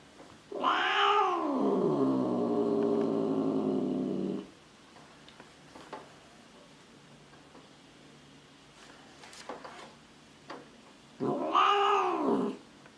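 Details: Angry cat letting out a long, drawn wail that rises then slowly falls and drags on for about four seconds, followed by quiet and a second, shorter arched yowl near the end.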